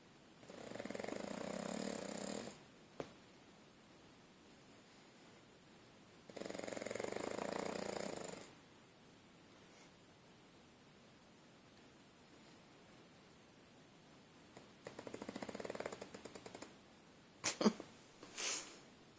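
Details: Ingo, a pug, asleep on his back in a lap, snoring like a man: three long, rough, rasping snore bursts about two seconds each, spaced several seconds apart with quiet gaps, then a few brief sharp noises near the end.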